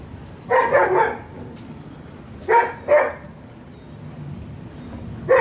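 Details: Barking from a dog next door, heard in paired bursts of short sharp barks separated by pauses of over a second, with a steady low background hum.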